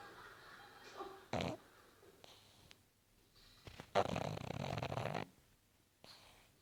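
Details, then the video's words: A pug snoring while asleep in front of the TV, with two longer, noisy, rasping breaths against quiet background and a few shorter snorts between them. "Carlin ronfle"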